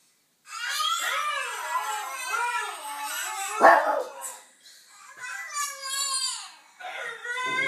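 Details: Pet Yorkshire Terrier responding to a dog and baby on television, giving drawn-out wavering howls that rise and fall in pitch, one sharp bark near the middle, then shorter howls.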